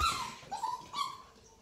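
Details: Molson, an 8-week-old tricolor Beagle puppy, whimpers after finding a dried liver treat he is unsure about: three thin whistled whines, the first sliding downward, then two shorter level cries, fading at the end indoors.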